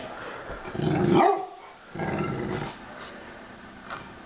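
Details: Two Rottweilers, Crosby and Polly, playing together on New Year's Day: a loud, rough growl swells for about a second, then a second shorter growl follows before things go quiet.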